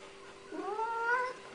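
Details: Siamese cat, described as noisy and as actually speaking, gives one drawn-out harmonic meow that rises then levels off, lasting under a second, over a steady low electrical hum indoors.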